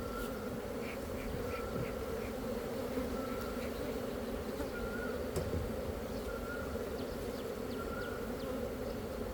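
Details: Honey bees from a Khmer source, a dense steady hum of many wings holding a low droning band throughout, with faint brief high ticks and a thin whine that comes and goes above the drone.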